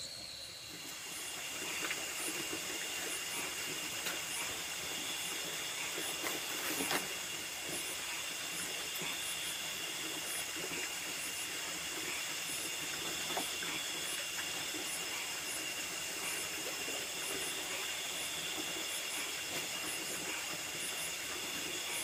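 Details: Nocturnal insects in a rice field at night keep up a dense, steady chorus, humming and hissing at high pitch with faint rhythmic pulsing throughout.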